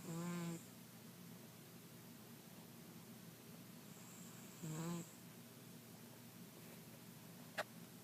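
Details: Mr. Jigilo, a pet cat nicknamed Jiggy, snoring while asleep: two short, raspy, harmonic snores about four seconds apart over a steady quiet room hum, with a faint click near the end.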